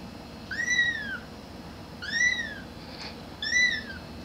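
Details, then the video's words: Three clear high meows from a grey kitten calling for its mother, each a drawn-out arch rising and falling, spaced about one and a half seconds apart, with a faint click between. "Cute Kitten Meowing"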